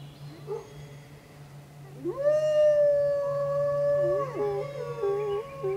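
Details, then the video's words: Gray wolves at the bottom of Grouse Mountain howl with long, steady, drawn-out tones, several voices overlapping and wavering near the end, set off by a car alarm. "Wolves howling at bottom of grouse mountain"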